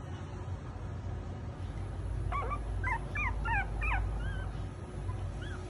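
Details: Chihuahua puppy offered for sale, giving a run of high, thin whimpers and squeaky yips with rising and falling pitch, clustered in the middle seconds over a steady low background hum.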